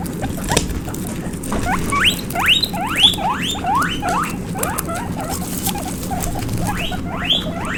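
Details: Baby guinea pig running around, giving a rapid series of short rising squeaks, each sweeping sharply upward, about two per second, over soft pattering and rustling underneath.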